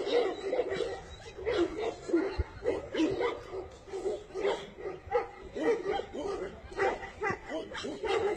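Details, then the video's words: Tibetan Mastiff yelping in quick, overlapping bursts of high-ish whining yips, several voices crowding together, with faint human voices in the background. "Tibetan mastiff"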